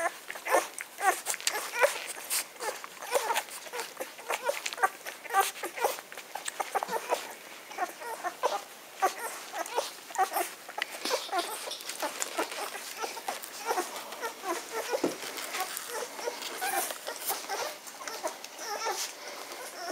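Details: Litter of ten-day-old Magyar Vizsla puppies, 23 May 2015: many short, high squeaky whimpers and grunts overlap in quick bursts, over constant soft rustling and patter as the pups shuffle about.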